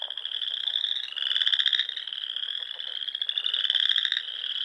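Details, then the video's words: Spring dusk in the Sandhills of Nebraska, frogs filling the air over rolling dunes and ponds; a continuous shrill trill throbs, with stronger rattling bursts near one and four seconds. "RELAXING SOUNDS OF FROGS"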